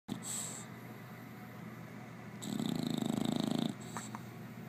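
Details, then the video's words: An English Bulldog snores in deep sleep: one long, rattling, low snore about a second and a half long, rising out of quiet breathing, then fading. "Snoring Bulldog"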